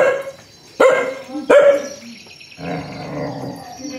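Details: Aggressive dog giving two sharp, loud barks close together near the start, followed by quieter mixed background noise with a low rumbling texture.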